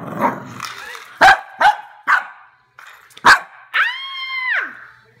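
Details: A Cavalier King Charles spaniel barking at a toy rat: several sharp, clipped barks spaced about half a second to a second apart, then a drawn-out, whining yelp that holds steady before dropping away.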